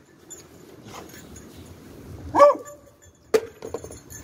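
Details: Beagle in rescue dog training, searching for victims (three in ten minutes, two out of its reach), gives a single short harmonic bark, then a sharp metallic clink follows amid soft rustling and faint background talk.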